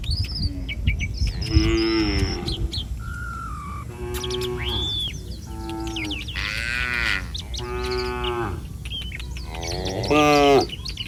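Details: A herd of village cattle roaming the street, several overlapping harmonic moos of varied pitch following one another every second or two, with chirping birds and faint background noise.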